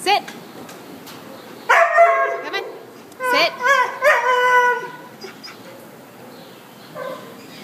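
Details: White and brown Australian Shepherd mix at the Devore shelter; two strong bursts of tonal barking with drawn-out, howl-like yowls in between, then quieter kennel background and a short final yip.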